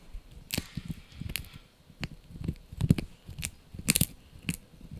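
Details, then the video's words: Yorkshire Terrier puppy Blue, male, biting into a dried bunny ear, with steady rhythmic crunching and several crisp cracking bites spaced about half a second apart. "Yorkie Puppy Eating Dried Bunny Ear 🐾 | Funny Faces & Crunchy Sounds!"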